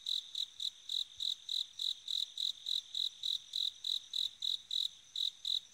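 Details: A bell cricket on an autumn night rings out high, clear chirps, repeated steadily about three times a second.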